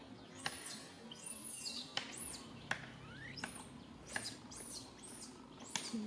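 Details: Infant monkey calling its mother for help: a series of high, curving squeals spaced about a second apart, with sharp clicks and a low hum beneath.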